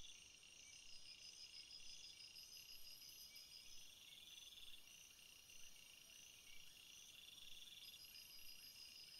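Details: Crickets in a flowering field, a dense chorus of high, pulsing chirps and trills layered at several pitches, steady throughout with a faint shimmering buzz above.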